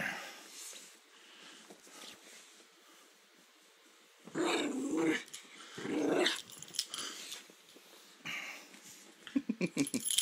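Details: Indoor play-fight under a blanket with a pet poodle: muffled, quiet rumbling growls rising midway in two strong bursts, then rustling and short snuffly growls toward the end.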